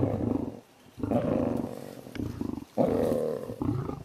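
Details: Tiger moving along a road in the wild, giving deep, throaty roars in repeated bursts of about half a second to a second, separated by short pauses.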